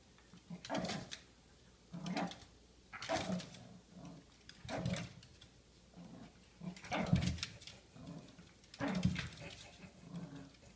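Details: Baxter, a pet dog indoors in a small room, fighting off a vase he finds scary: low rumbling growls with harsh, breathy bursts, roughly every two seconds, some rising into snarling barks.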